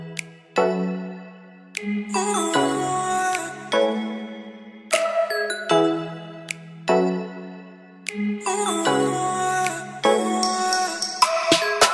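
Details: Bright, tinkling music with chime-like notes and sustained tones, rising and falling in repeated phrases, with no animal voice present.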